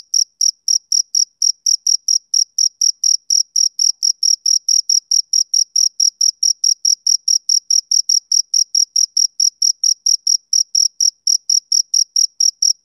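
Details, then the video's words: Male cricket on a summer evening giving rapid, piercing chirps in a continuous train, closely spaced and uniform in loudness, with a thin higher overtone above each pulse and no other noise. "Cricket Chirping Sound Effect"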